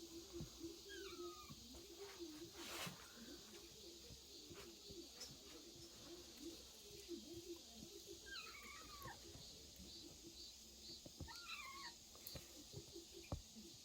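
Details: Kittens inside a woodpile, dated 8.16, give three faint, wavering high meows spread over the recording, well apart, above a constant droning hum and scattered soft knocks.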